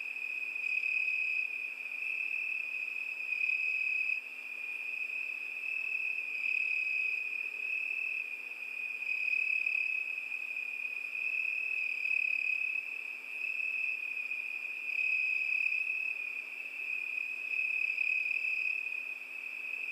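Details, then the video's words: Summer-night chorus of crickets, a continuous shrill trill holding one high pitch throughout, softly pulsing in loudness, with a thinner, higher overtone that comes and goes every few seconds. "ЗВУКИ ЛЕТНЕЙ НОЧИ. ПОЮТ СВЕРЧКИ."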